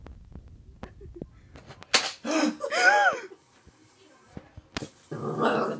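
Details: A Boxer puppy barks at a pot of pencils, filmed 7 June 2020: a sharp yip, then a brief high bark that rises and falls, amid slaps, knocks and scuffs, closing with rustling.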